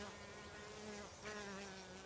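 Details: Honey bees make a steady, low droning hum across a flowering border plant covered in flowers in a July garden, feeding on nectar and gathering pollen; the whole plant can be heard buzzing.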